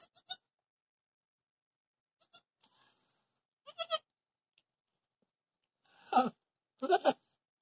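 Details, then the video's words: Bleating at a dwarf goat's delivery of triplets, 26 October 2020; brief thin bleats early, then two louder, quavering, nasal bleats about a second apart near the end, with light rustling between. "parto cabra enana. trillizos pequeñajos!!"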